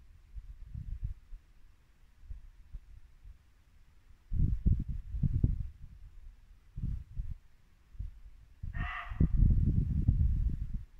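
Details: Single abrupt bark from a muntjac deer in Norfolk woodland at dusk in late winter, coming near the end after several seconds of low, irregular thudding noise that continues through and after the call.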